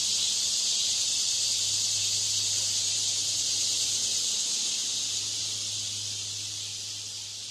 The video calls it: Cicada Sound Effect